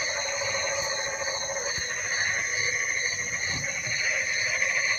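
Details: Frogs calling in the rain, a dense steady chorus of overlapping high trilling and buzzing voices with layered droning tones, faint rain-like hiss beneath, no clear individual calls standing out.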